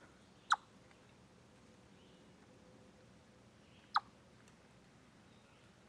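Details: On 27 August 2013, a chipmunk on a Deer Trail live-stream camera gives sharp, single chips spaced a few seconds apart against a quiet, hissy background.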